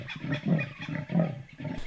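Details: A leopard calling a couple hundred meters away, likely in a river near the far bank, at Londolozi, gives deep, rasping grunts in a quick rhythmic series, like a saw drawn through wood. Finding: leopard.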